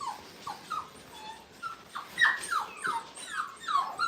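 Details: Five-week-old Brittany puppies, in a playpen for the first time, whimpering at a kennel: a scatter of short, downward-sliding whines and yips, uneven and overlapping, over a soft hiss.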